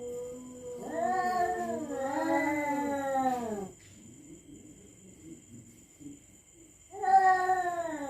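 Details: Territorial cats threatening each other at night: long wavering yowls that rise and fall for about three seconds, a pause filled with soft low murmuring, then a fresh loud wail begins near the end.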